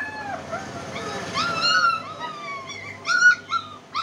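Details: German Spitz puppy whining in drawn-out, wavering high whimpers that rise and sag, ending in a few short, bright yelps over a low background hum.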